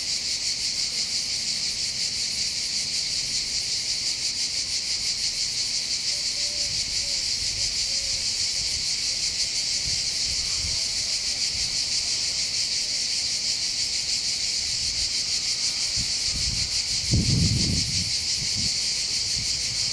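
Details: Cicadas singing in summer above the port of Bandol in the Var, Côte d'Azur, southern France, by the Mediterranean: a dense, continuous high buzzing chorus with a steady pulse, faint wind and a brief low thump near the end.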